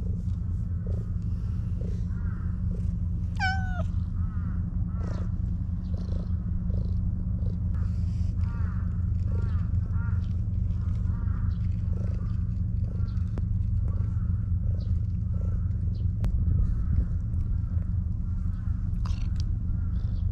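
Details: Maro, an affectionate stray park cat being petted, gives one short, sharp meow early on that bends down at the end. The rest is soft, faint murmuring under a constant low background hum.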